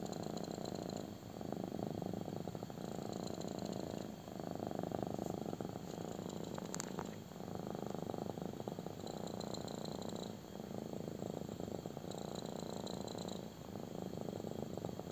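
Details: Steady deep purring from a kitten enjoying a belly rub, a rough buzzing rumble that pulses in long alternating breaths, with faint rustling of handling.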